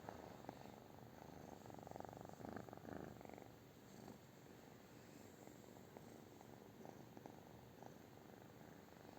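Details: British Shorthair cat purring indoors, a steady low rumbling purr with soft rhythmic pulses running throughout, occasional faint rustles in the background.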